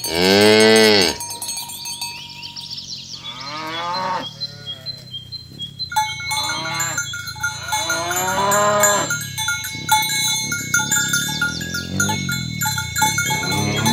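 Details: Herd of tame village cows in a green field in the morning, calling one another to gather while being driven to the pen; a loud moo opens, followed by several overlapping, fainter moos amid the steady clang of cowbells.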